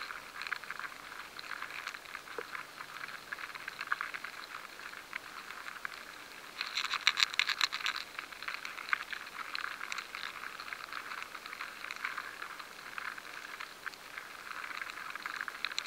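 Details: Grain weevil larvae infesting stored rye, captured by a high-sensitivity recording: a continuous crackling hiss of fine scratches and rattles, growing louder and denser for about two seconds midway.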